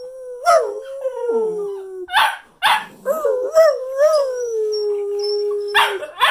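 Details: Several Cocker Spaniels in New Jersey howl together at Christmas 2019 in long, wavering tones that slide and dip, broken by short yips and a person's voice urging them on.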